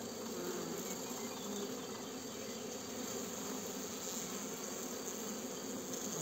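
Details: A steady, dense hum of many western honey bees buzzing inside a hive, where the bees are killing the old queen at the bottom of the hive.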